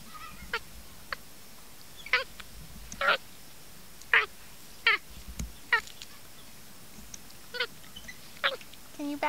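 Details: A little male monkey at a fence, eating corn, gives short, squeaky, honk-like calls with bright harmonics, about a dozen spaced irregularly over several seconds, some paired in quick succession against a quiet background hiss.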